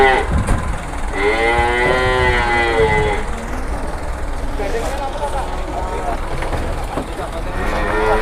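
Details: Cattle arriving by two trucks in Indonesia, one animal among them jumbo-sized; a drawn-out moo of about two seconds rises over rumbling engine noise and people talking.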